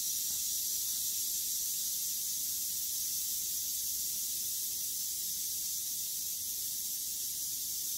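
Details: A western diamondback rattlesnake, envenomating a mouse that dies almost instantly, keeps its tail rattling: a sustained, steam-like high buzz running evenly for the whole eight seconds without a break.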